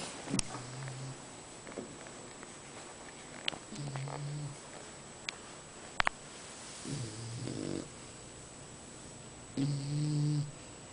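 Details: English bulldog snoring in Hoboken, New Jersey; low rumbling snores come in uneven bursts about every two to three seconds, with a few sharp clicks between them.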